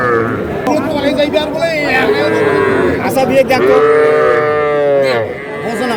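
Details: Young bulls and heifer calves at a cattle market in Madaripur on 17 February, bought by a farmer; drawn-out harmonic moos rise and fall several times, overlapping one another amid steady human chatter and bargaining voices.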